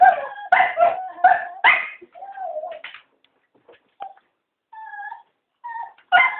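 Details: Cocker spaniels, three of them, begging to be taken for a walk; a burst of fast yipping barks, then a drawn-out whine and soft intermittent whimpers before another bark at the end.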